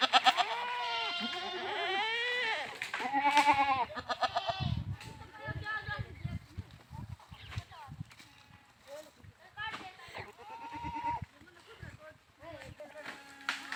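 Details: Several loud, arching goat bleats open the recording, followed by shorter bleats mixed with human voices and thumping noises.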